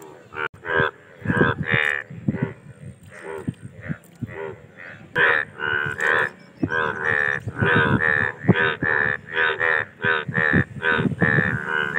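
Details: Indian bullfrogs in a mating chorus, many overlapping loud, harsh, bleating croaks with rich harmonics, given in rapid, irregular bursts about once a second, with calls from several frogs running into one another.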